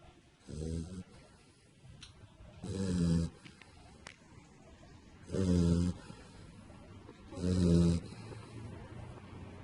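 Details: Pit bull puppy asleep on its back, belly up, gives four deep buzzy snores, each lasting under a second, at fairly steady intervals of about two and a half seconds. Faint rustles are heard between snores.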